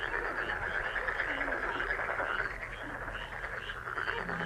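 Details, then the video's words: Frogs calling in a dense, continuous chorus, presented as a lucky frog sound for wishes, fortune and health: a steady mass of overlapping croaks with a faint low hum underneath. "행운 개구리소리 The sound of a lucky frog"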